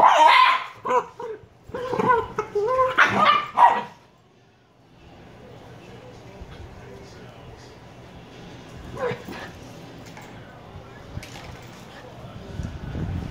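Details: Two 118-day-old Shiba Inu puppies; a burst of sharp, high barks and yips in the first four seconds, then quieter rustling and faint scattered sounds.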